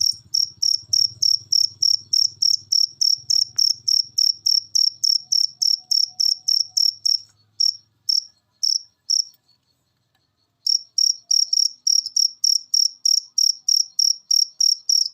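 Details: Masteran cricket recording meant to make pet birds sing: rapid, high, evenly spaced chirps, roughly three per second. A faint low hum sits under the opening seconds, and the chirping stutters and drops out briefly before resuming strongly.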